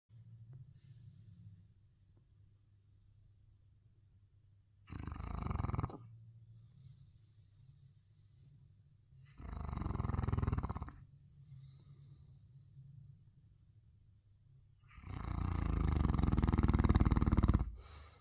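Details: A sleeping Neapolitan Mastiff snoring: three long, loud, rough low breaths at roughly five-second intervals, each growing stronger, with a soft steady low rumble of breathing between them.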